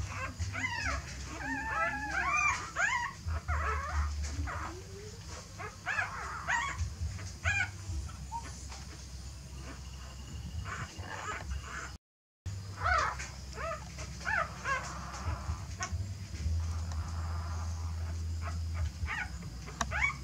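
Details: Whining dog sounds as a mother dog seems to carry her young to a new nest, maybe a messy one; clustered squeaky whimpers early, then scattered thinner cries and shuffling, with a brief silent gap.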